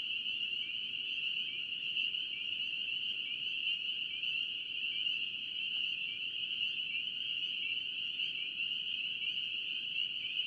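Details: Many spring peepers in North Carolina calling together, sharp rising whistled peeps stacking into a continuous high trill-like din, steady in loudness, with a faint hiss underneath.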